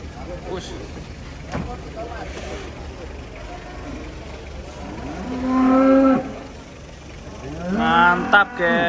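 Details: Giant cattle being unloaded from a truck. After a stretch of clatter and engine rumble, one cow gives a long moo with rich overtones, then a second louder, wavering moo follows near the end.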